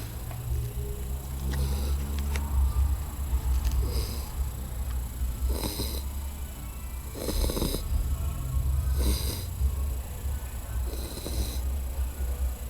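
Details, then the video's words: American Staffordshire Terrier named Mel, a female pet dog, snoring while asleep; rhythmic raspy breaths recur about every one and a half to two seconds over a steady low hum. "minha cachorra Mel roncando"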